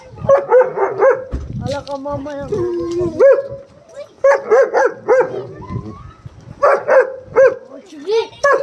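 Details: Angry dogs in a fight, barking hard in bursts: sharp, harmonic barks repeated about every half second, a brief lower growling stretch, then renewed volleys of loud barks.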